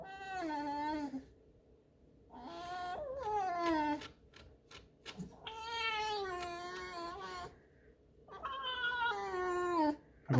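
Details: Indoor pet fox sulking and being contrary: four long, wavering squeaky whines, each falling in pitch at the end, separated by short pauses and faint knocks, in a quiet room.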